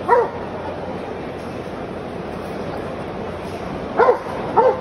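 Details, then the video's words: Single Belgian Malinois barking: one bark at the start, a long quiet gap, then two quick barks near the end, each short, tonal and slightly arched in pitch, over faint steady hiss. "Pastor Belga Malinois"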